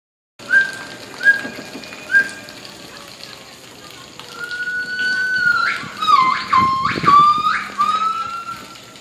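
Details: Two white-chested gibbons singing together: three short, clear whistled notes about a second apart, then a long steady whistle breaking into rapid swooping up-and-down notes, over faint background hum.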